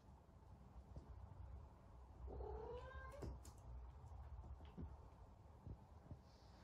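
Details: Domestic cat giving a single drawn-out meow, mid-pitched with stacked harmonics, rising then falling, lasting about a second midway through, over a steady low indoor rumble with a few soft clicks.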